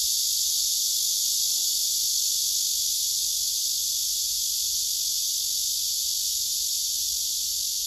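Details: Male cicada singing on a tree while another male sits beside it listening. The shrill, continuous, high buzz stays level and unbroken throughout, with no other clear sounds.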